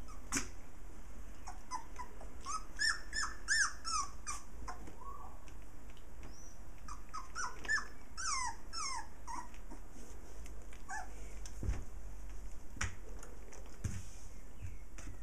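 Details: Six puppies at play with their mother dog, giving high whimpering squeals and short yelping cries in quick bursts, some notes sliding up and down, with pauses between and soft shuffling noise behind.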